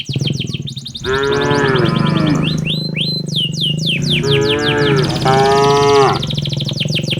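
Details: Tame cattle driven by a herder toward their pen in the evening in a peaceful village: three drawn-out, harmonic-rich moos, each lasting about a second, over constant rapid bird chirping and low background rumble.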